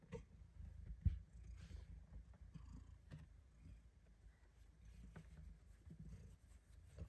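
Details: House cat enjoying belly rubs in a tight secret hideaway, giving a low, soft, steady purr with faint rubbing and one brief tap near the start.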